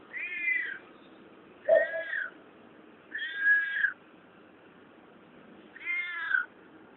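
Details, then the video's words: Weird noises from a cat the recorder found: four drawn-out, rich harmonic meows, each slightly falling in pitch, one starting with a low grunt, repeated roughly every one and a half to two seconds. "Cat making weird noises"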